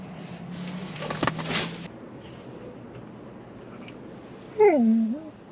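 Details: Golden Retriever in a car's back seat gives a short, falling, nasal whine of impatience while waiting to go to the beach, after a burst of background rumble.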